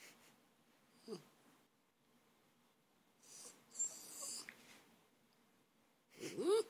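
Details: A colt calls after hearing noises outside: breathy snorting sounds in the middle, then a loud wavering cry that rises and falls with strong harmonics at the end, with soft human speech nearby.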